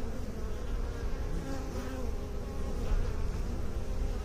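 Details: Beekeepers' honey bees giving a constant low buzzing drone, dense and even, with brief higher whines of individual bees passing by.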